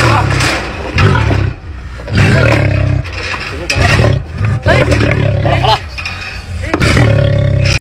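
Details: A caged lion gives deep, rumbling roars in loud bursts about a second long, with voices alongside.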